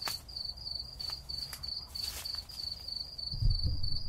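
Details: Summer night in the city with cicadas calling: evenly spaced high, buzzy chirps roughly three per second, over background rumble and a few brief knocks and rustles.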